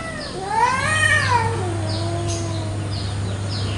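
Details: A territorial fight between village cats in a morning garden: one yowl climbs, peaks, then slides down into a long low moaning growl, over a constant low hum.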